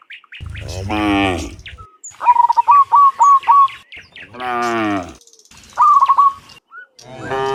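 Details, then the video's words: Cows mooing in the morning as dozens return from the field to the pen; two long, deep, drawn-out moos separated by bursts of bright, rapidly repeated bird chirps and short whistles. "Sound Dozens of Moo Cows in the Morning, Returning from the Field to the Pen, the Sound of Cows"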